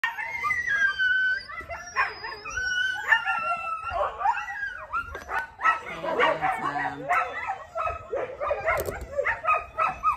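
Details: A husky in a big vocal blow out: a long run of yips, whining howls and barks, pitch sliding up and down, bursts coming every second or so with short gaps.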